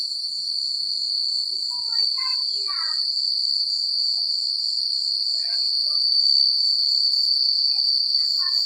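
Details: Countryside crickets at night keep up a constant high, pulsing trill; a short burst of descending twittering notes breaks in early, followed later by sparse faint chirps.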